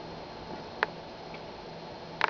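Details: A sleepy female Dachshund hiccups twice: short, sharp clicking jolts about a second and a half apart.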